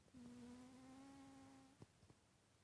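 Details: Titus, a pet cat, snoring while asleep: one long, steady whistled tone with a nasal buzz lasting about a second and a half, followed by a few soft clicks in a quiet room.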